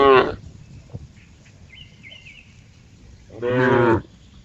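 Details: Cow letting out two brief, rough moos, a clipped one at the start and a fuller, louder one about three seconds later, with a faint high wavering trill in the quiet gap between.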